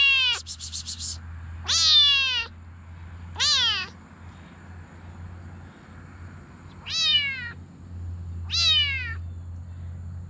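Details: Mink Bengal kitten, female, giving five loud, strained meows at irregular intervals, each bright and slightly descending, with a brief scratchy sound at the start and a steady low hum throughout.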